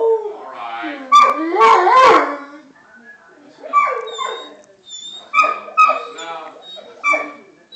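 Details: Dog howling in response to a siren: a wavering, harmonic howl sliding down then up over the first two seconds, followed by shorter tonal yelping bursts at irregular intervals, with quiet gaps between.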